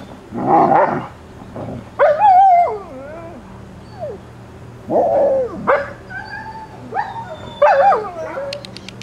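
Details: Alaskan Malamute pups, 26 days old, from Ciqala's litter, recorded 20 September 2009: loud wavering howls and yelps rising and falling in bursts every couple of seconds, with faint background rumble.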